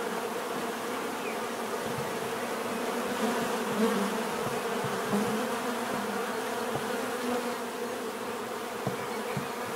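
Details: Bees in natural surroundings, a dense steady buzz of many insects with hum bands near 250 and 500, some individual wingbeats swelling louder and fading as bees pass close.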